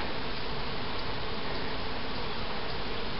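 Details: Honey bee foragers left behind after a colony removal at Helderberg Castle, New York, described as lost and confused and about to be vacuumed up; a continuous, even, low droning hum persists throughout.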